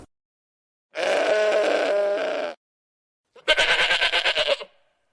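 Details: Sheep bleating twice: first a long, steady, nasal bleat of about a second and a half, then after a pause a louder, shaky bleat that wavers in rapid pulses before fading, with silence around both.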